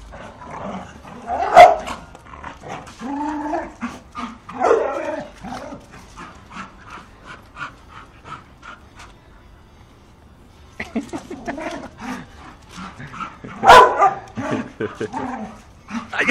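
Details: Bull Terrier puppies at play, yapping barks and low growls in irregular bursts, bunched at the start and again toward the end, with a quiet gap in the middle.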